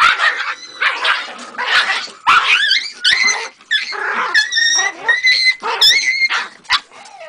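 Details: Jagdterrier puppy aged three months giving a mix of rough barks and thin, whistly whining yelps, several rising then falling, delivered in uneven bursts across the whole stretch.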